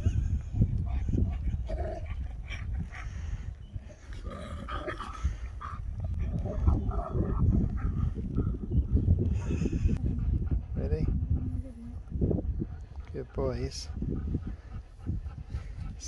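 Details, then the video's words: Husky Sherpa, back with K'eyush, waking from sleeping the whole journey as a very happy, shocked dog: excited whimpers and short yelping whines break through steady rustling and background chatter, with one rising whine near the end. "Husky wakes up to the Best Surprise Ever!"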